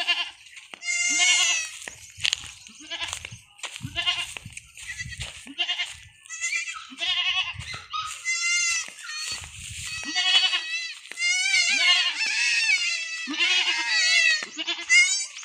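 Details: Young goat kids on a farm in the Philippines, handled while being injected with iron, bleat loudly and repeatedly in wavering, quavering cries, several voices overlapping in bursts with short gaps between them.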